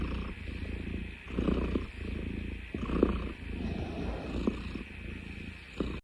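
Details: Deep, rough purring from a cat, compared to the sound of a car, pulsing in uneven waves of about one to one and a half seconds over a constant low hum.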